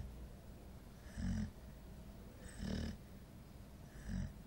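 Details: A 9-month-old female Golden Retriever, very tired, snores in low, rumbling bursts about every second and a half.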